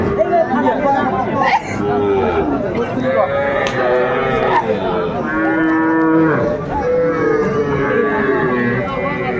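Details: Young Sahiwal bull calves being bought by Dhaka farmers on 11 February 2025, several calves mooing at once in overlapping, wavering harmonic calls, some rising and falling, over a steady crowd murmur and chatter.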